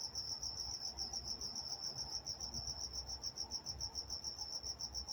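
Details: Crickets calling after dark in Walnut, California, a bright, high chirp repeated in quick regular pulses, several per second, over a quiet low rumble.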